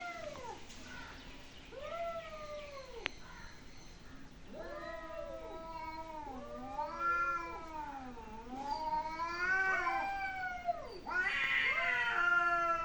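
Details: Several cats making weird noises: a long run of overlapping, wavering yowls and meows that bend up and down in pitch, rich in harmonics, with louder, brighter cries near the end.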